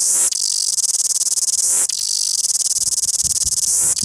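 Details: Shrill, relentless cicada buzz recorded in Wellington, loud and high, with a short break near the two-second mark and low rumbling noise toward the end.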